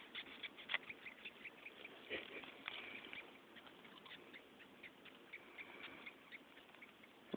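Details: A cow killer (red velvet ant, Dasymutilla occidentalis), a flightless wasp, stridulates in faint, scratchy squeaking bursts, each chirp short and repeated irregularly.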